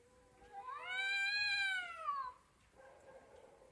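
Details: Domestic cat talking: one long, drawn-out meow that rises, holds bright and loud, then falls away over about a second and a half, followed by a softer low murmur in a quiet room.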